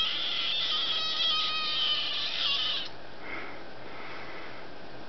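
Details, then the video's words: One long, shrill kitten scream from Duck-a-roo, a little female who liked to scream and talk, held for almost three seconds with a strained, wavering tone, then cut off, leaving faint room noise. "My Kitten Talking, well Actually Screaming at Me"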